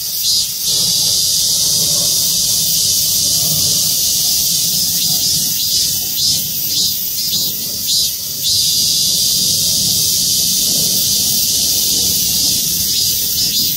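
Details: Cicadas in the trees of the Gwangmyeong City Hall parking lot, South Korea, chorusing together. An intense high whirring rises and falls in repeated bursts, briefly dipping near the start, with low traffic-like rumble underneath.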